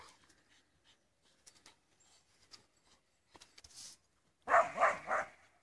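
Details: An Australian Shepherd, contesting a stick, lets out three loud, rough barks in quick succession after some quiet scuffling.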